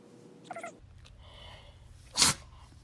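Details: Shih Tzu named Lacey, a house dog who rarely sneezes, gives one sudden explosive sneeze after a brief faint whimper-like sound in a quiet room.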